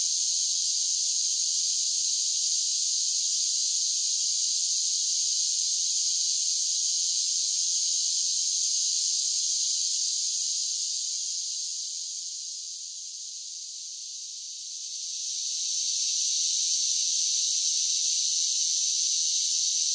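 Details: Singing cicadas in summer: a sustained, high, sizzling drone that wanes briefly around the middle and rises back to its full intensity, with no other sounds.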